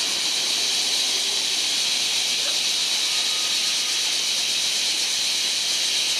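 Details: A July chorus of large brown cicada: a constant hissing, sizzling drone concentrated high in pitch, holding at an even level with no pauses.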